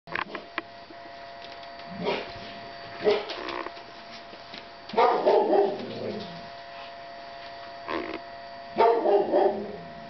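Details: Ca de Bou puppies, seven weeks old: scattered short barks and yelps in bursts roughly every two to three seconds, some doubled, with a steady electrical hum underneath.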